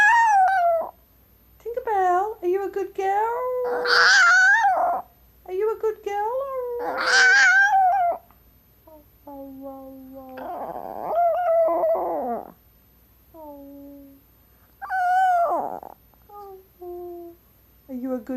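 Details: Tinkerbell, a female Chihuahua who loves to talk and howl, gives wavering, tonal howls and yodel-like vocal phrases of rising and falling pitch, broken by pauses. Bursts of a person's voice are mixed between the calls.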